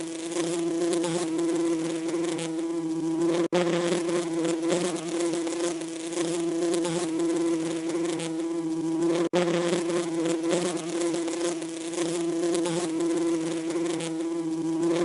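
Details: Continuous droning buzz of a bee, a steady low hum rich in overtones that wavers slightly in loudness, broken by two short silent cuts.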